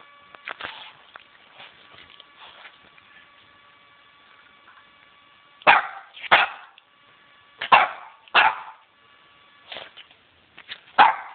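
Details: Dog filmed at night with night vision, giving short sharp barks, softer at first, then louder in spaced pairs, roughly eight barks over eleven seconds.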